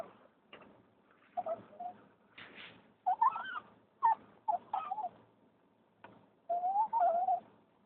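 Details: A female dog rescued from the streets in Turkey makes excited crying whines on arriving home by car: short tonal whimpers in bursts, some wavering and rising, separated by brief pauses, with a quiet low hum beneath.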